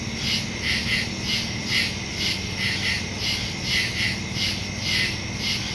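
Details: Woodland crickets at night, September 2, 2023, phone recording with a Shure MV88+ stereo microphone: high buzzy chirp pulses, a few doubled, swell and fade irregularly against a continuous hiss of distant insects.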